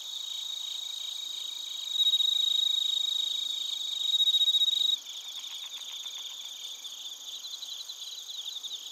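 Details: Bell crickets and other crickets recorded in Narita, Chiba Prefecture, Japan, on a TASCAM Portacapture X8: a dense high shimmer of overlapping trills with pulsing chirps, one steady ringing tone in the middle, and the chorus thinning after a few seconds.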